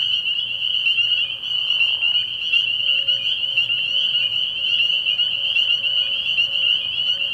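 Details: Spring peepers in a dense night chorus at a frog pond early in the year: countless high, piercing peeps merge into a steady shrill band, with a brief softer rushing sound near the second second.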